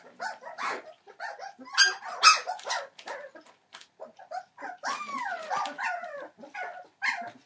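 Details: Three-week-old Entlebucher Mountain Dog puppies, born 28 December 2013, making mixed yips and whines, including a drawn-out whine that rises then falls in pitch, with several pups calling at once.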